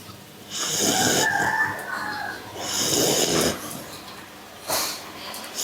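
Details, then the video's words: Pit bull snoring: broad, breathy bursts about a second long, spaced a couple of seconds apart, with a faint rasp between them. "austin ngorok"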